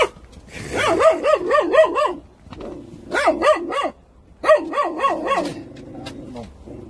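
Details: Korean Jindo puppies of the Korean National Dog Association give three bursts of rapid, wavering high yelps, about four per second, separated by brief pauses.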